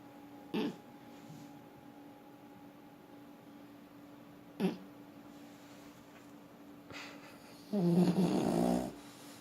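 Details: French Bulldog Forsik asleep: a long quiet stretch with a few soft clicks and shuffles, then one low, rasping snore near the end lasting about a second.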